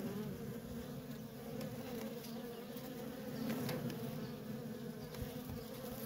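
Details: Worker honey bees in nonstop traffic at a feral colony, giving a steady, low droning hum with a strong fundamental and a clear overtone above it, swelling slightly midway, with faint scattered clicks.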